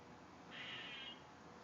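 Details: Squirrel. A squirrel lets out one strained, crying squeal lasting under a second, fairly high and slightly harsh. A constant broad hiss of background noise runs underneath the whole time.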